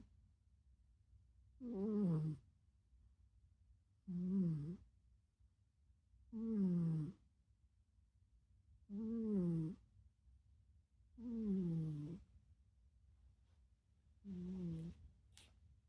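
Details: Pet cat snoring loudly during REM sleep, a rhythmic, mysterious snore that bothers its sibling cats; six deep, vibrating snores in a steady rhythm, each about half a second long, repeating roughly every two and a half seconds in a quiet room.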